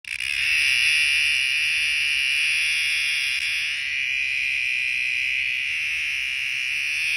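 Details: Cicadas fill the summer air with a steady, high, buzzing drone that barely wavers.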